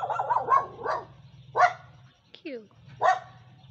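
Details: A neighbour's dog barks in short, sharp bursts, four barks spaced unevenly over a few seconds, over a steady low hum, with a brief rising squeak between them.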